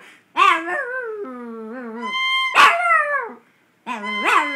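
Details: A Chihuahua 'sings' to a recorder with a long, quavering howl that steps downward, then a loud rising-falling cry, a brief pause, and another strained, climbing yowl.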